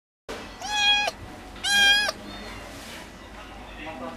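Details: Munchkin cat in a pet shop in Japan, giving two short, high, nasal meows about a second apart, followed by faint background shop noise.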